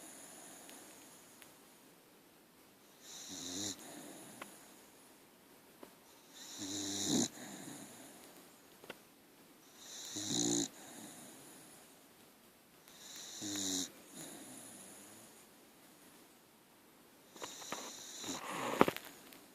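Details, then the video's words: Archie, a pet dog, snoring while asleep indoors: rough, breathy snores rise and fade in slow bursts roughly every three seconds, with quiet breathing between them. "Archie snoring. .....dog tired!!"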